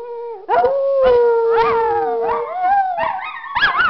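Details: Three Miniature Schnauzers howl together at home, an everyday habit, in long, wavering tones, one voice holding steady while others rise and fall.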